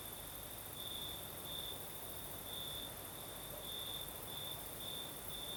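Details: Crickets singing at night in the south of Crimea with a night breeze: a steady high trill with brighter pulses roughly every half second to one second, over a soft, even hiss of wind.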